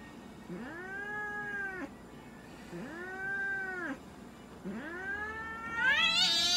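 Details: Munchkin cat Moka at a Nagoya veterinary clinic, Japan, during examination and blood draw; three arched meows about two seconds apart, the last rising into a louder, higher-pitched yowl.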